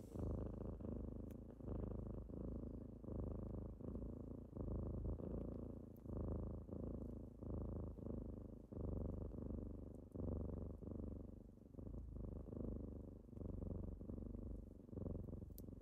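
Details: Kittens waking their owner in the morning, purring indoors in a sustained low drone that throbs in regular breath pulses, around forty a minute, with only faint tiny ticks behind it.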